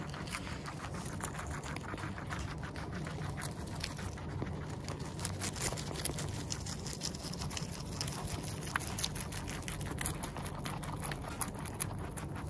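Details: Guinea pig munching food, recorded in close-up at its nose and mouth: a dense run of fine crisp clicks and crunches, several per second, over a steady low hum.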